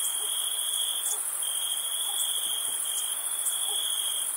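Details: Camping on a summer night, crickets produce a constant shrill two-toned trill, the upper layer flickering with irregular pulses, while faint soft lower sounds show under the chorus.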